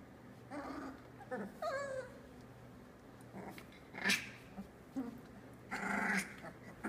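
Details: Three-week-old Australian Labradoodle puppies from Tilly's litter, eyes just starting to open, giving scattered soft whimpers and one thin wavering squeal, with rustling and shuffling between calls in a quiet room.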